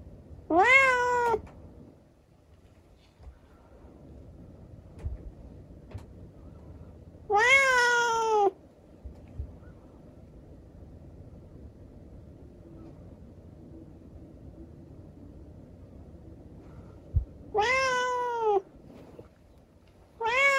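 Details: A kitten, rescued after an accident left its leg impaired, meows during a nighttime chat: three loud, rising-then-falling meows, widely spaced over twenty seconds, with a quiet room hum between them.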